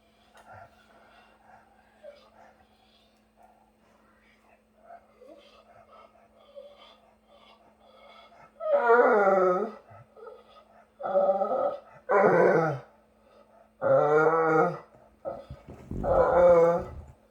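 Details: Dog making Chewbacca-like vocalisations indoors: after quiet murmuring, a series of five loud, drawn-out, wavering groaning moans, each about a second long and spaced roughly every one to two seconds, with a steady low hum behind.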